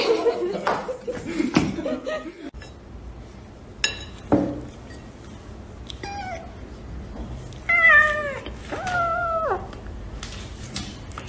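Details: Domestic cat meowing in a funny cat compilation: after a few seconds of mixed noises and faint voices, a string of short, falling meows, then two longer drawn-out meows near the end.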